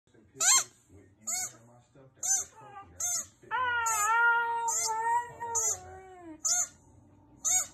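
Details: A Husky-Samoyed mix, which howls only on hearing a squeaky toy, gives a long, wavering howl slowly falling in pitch amid sharp toy squeaks.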